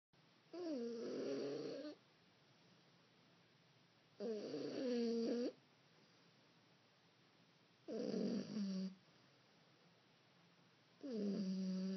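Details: A 15-week-old female French Bulldog puppy snores while asleep, with slow, rasping breaths about every three to four seconds.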